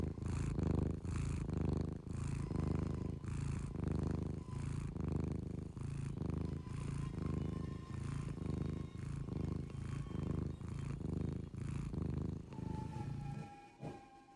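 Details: Low, rumbling snores from a cat asleep, each breath cycle lasting about a second in a steady rhythm, then trailing off near the end while a thin steady tone lingers behind.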